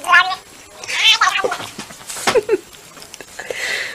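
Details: Pet cat giving short harmonic meows, a rising cry near the start and another about a second in, with human voices talking over and between the calls indoors.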